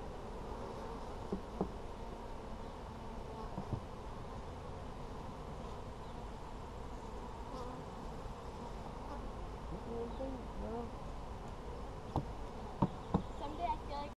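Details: Steady low drone of a honey bee colony inside an Apimaye hive during a brood inspection on July 23, 2020. The hum holds even throughout, broken by scattered sharp taps and clicks toward the close.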